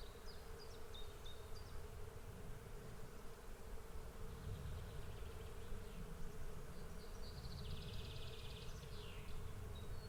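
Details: A swarm of bees keeps up a level, unchanging buzz with rumbling low noise under it, while faint high bird twitters come and go at the start and a brighter chattering phrase sounds later.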